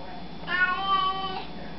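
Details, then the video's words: House cat addressed as Lolo answers a greeting with one long, even meow of nearly a second against a faint low hum, between a person's repeated hellos. "Cats Saying Hello"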